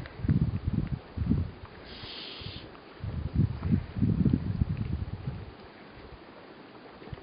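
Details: Weddell seal sleeping on Ronge Island, Antarctica, giving low, rough grunting bursts in two clusters, pausing between them, with faint wind-like background hiss.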